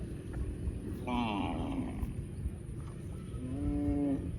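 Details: Cow mooing: two drawn-out, low, nasal moos, the first wavering and the second steadier and longer, over a constant background hum.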